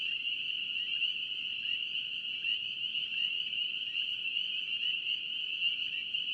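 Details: Massed spring peepers from North Carolina produce a steady, piercing high chorus, the many calls fused into one sustained shimmering tone without pauses.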